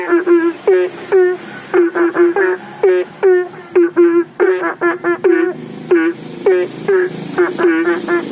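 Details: Belentung frogs calling for rain by a roadside house pond at night, recorded by phone under a flashlight: repeated short upswept nasal calls from several frogs, overlapping bursts, with vehicle noise in the background.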